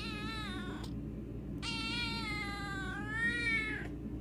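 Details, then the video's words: Talkative Siamese cat answering a person's morning greeting with two long, drawn-out meows. The first slides gently downward and the second is longer, dipping then rising before it breaks off. Both are rich and harmonic over a low room hum. "Talkative Siamese"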